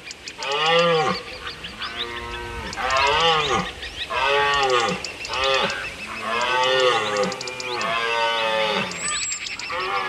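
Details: Red deer roaring, recorded at Lake Teletskoye in Russia's Altai Biosphere Reserve and in Belarus's Berezinsky Biosphere Reserve, with Siberian maral and European subspecies compared: arched, strongly harmonic bellows repeated about every one and a half seconds.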